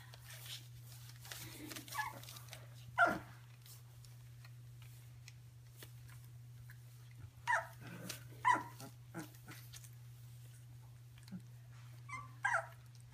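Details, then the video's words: Stabyhoun puppies yelping in short, high, harmonic bursts, one loud cry followed by pairs of yelps spaced several seconds apart, over a constant low hum and soft background rustling. "Stabyhoun Puppies"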